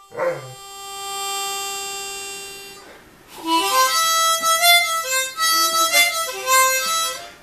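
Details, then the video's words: Rupert, a Great Dane puppy aged five and a half months, howls along to a harmonica he is hearing for the first time. After a long steady harmonica note, his wavering, rising and falling howls blend with the mouth organ's chords. "Great Dane Puppy Rupert - Accompanies Harmonica"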